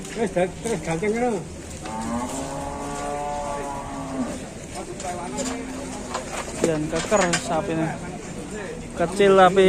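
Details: A raging cow, filmed among Indonesian cattle, lets out repeated moos, including one long, steady, low bellow sustained for about two seconds, with a later wavering call and some human voices.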